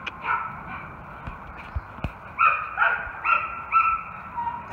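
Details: German Shepherd/Coonhound mix named Raco, about three years old, gives scattered short barks, softer at first then louder toward the end, between a person's words of praise.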